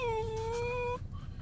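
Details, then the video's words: Otis, a pet poodle with separation anxiety, whining while his owner is away at the grocery store: one long, steady, high-pitched whine lasting about a second, slightly rising, followed by quiet room noise. "Poodle with separation anxiety."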